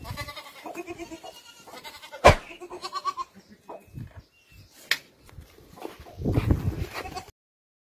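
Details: Kalahari Red goats, a breed from South Africa, bleating in wavering, nasal calls: a long one at the start, another after a sharp knock, then shorter bleats later over low rumbling and thumps.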